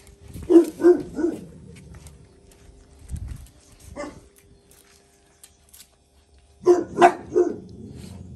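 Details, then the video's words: Jack Russell Terrier mother disciplining her son: three short high yaps, some low scuffling and a quieter bark, then a fresh burst of three or four sharp barks near the end. "JACK RUSSELL PARİS OĞLU OSCAR’A DERS VERİRKEN"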